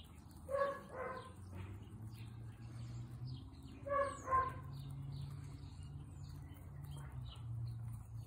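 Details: On a picnic outing, guinea pigs squeak in two quick pairs of harmonic calls several seconds apart, while faint bird chirps and a steady low outdoor rumble fill the gaps.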